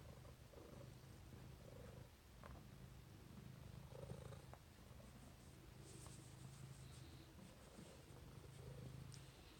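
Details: Peppi the cat purrs during a cuddle, a deep continuous rumble pulsing evenly, with light rustling and faint higher hiss in the background.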